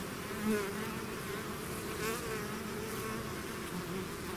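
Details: A bee swarm pouring out of its hive, a dense steady hum with wavering tones near 200 and 400 pitch bands, a few louder passes of single bees at half a second and two seconds.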